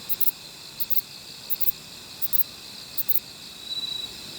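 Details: Kobane-himegisu, a short-winged katydid near a Niigata park in Japan, calling in quick doubled high-pitched ticks about every 0.7 seconds, followed by a short softer buzz at the end.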